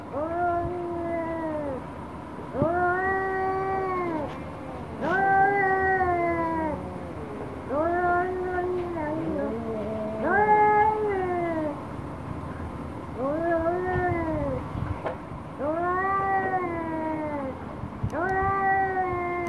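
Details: Orange cat and black cat in an angry standoff: harmonically rich, arching yowls repeat roughly every two seconds, each rising then bending down, about eight or nine in a row, some overlapping in a second voice.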